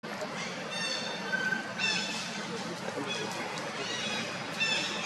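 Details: Monkeys at Angkor Wat Park, where the mother Jane is looked after by her two daughters Janet and Tarzana: high, harmonic squealing cries in short bursts near two seconds and again near the end, over a steady hiss of outdoor background noise.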